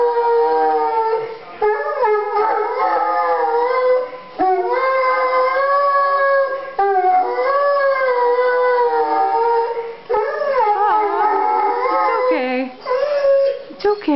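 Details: Buck, a ten-month-old Chesapeake Bay Retriever, howling at Christmas time: long, sustained, wavering tones in a run of about five howls broken by short pauses, the pitch sliding up and down within each drawn-out cry.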